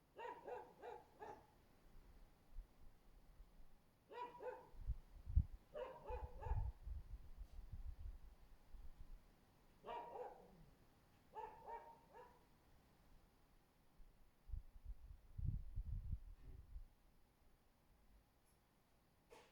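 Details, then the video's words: Barking husky under a window, 24 February 2024. Six short volleys of quick, harmonic barks come over about twenty seconds, with low rumbling handling or street noise between them. "husky ugat az ablakunk alatt"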